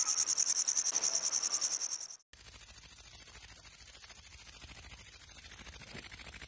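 A grasshopper's high, dry buzzing chirr, pulsing rapidly and steadily.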